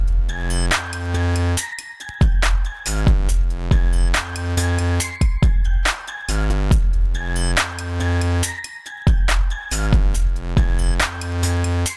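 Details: Loud electronic dance music with heavy bass and drum hits, no animal sound audible.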